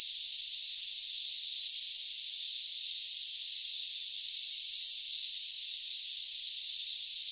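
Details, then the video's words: Jungle crickets give a shrill, high-pitched pulsing trill, evenly repeated about 160 times a minute without pause, over a thin steady hiss. No low sounds or other animals are heard. "Jungle Crickets"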